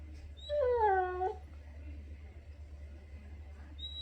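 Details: Pit bull hidden under a sheet gives one drawn-out whine lasting under a second, starting higher and sliding down, then quiet with a steady low hum in the room.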